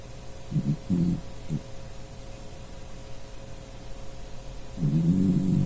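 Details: Dachshund Puchi asleep and snoring: a few short low snorts early on, then a longer rasping rumble near the end, over a faint steady room hum.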